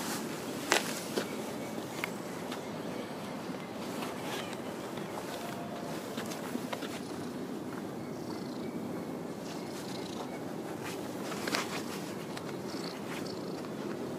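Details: Stray orange tabby cat in a park parking lot, lying in a position to be stroked and being petted, purring in a steady, continuous low rumble, with scattered soft rustling and clicking handling noises.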